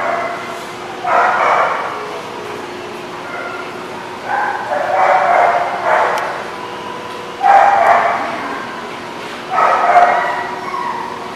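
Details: Dogs at The Barking Lot on 8/26/16 giving spaced bouts of barking, four separate bursts of yappy barks roughly two seconds apart, with quieter gaps and faint background between bouts.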